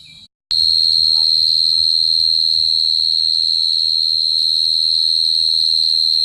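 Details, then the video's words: After a short quiet gap, a cricket starts a loud, sustained high trill. It stays level and steady to the end, with faint low rustling in the background. "Cricket sound effect(cricket sound)"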